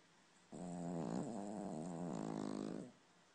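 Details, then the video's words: A sleeping dog snoring: one long, rough, droning breath with a low buzzing tone lasting over two seconds, steady and rattly throughout, in a quiet room. "Horlayan Köpek - Snoring Dog"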